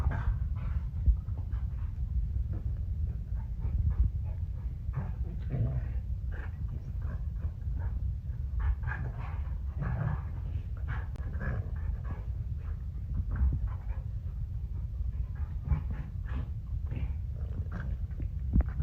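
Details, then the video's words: Two large dogs, an 80 lb Cane Corso and a 120 lb pit bull, restless at 3 am. They make steady, deep, rumbling grunts and breaths, with brief higher snorts scattered throughout. "MY 80 LB CANE CORSO AND 120 LB PITBULL ARE MAKING FUNNY NOISES AT 3AM"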